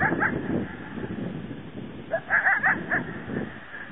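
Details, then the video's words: Coyote bark-howling at an unseen animal, possibly a mountain lion: a quick cluster of sharp, harmonic yelping barks near the end of the clip, over steady rough background noise. "Coyote crying lion?"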